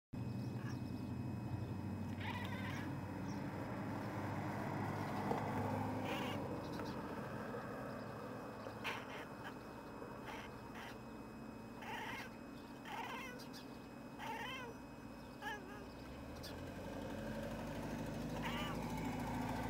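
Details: A male domestic cat at a window talks to birds outside, trying to woo them closer; short chirping meows with bright harmonic tones come in scattered bursts every second or two over a steady low background rumble.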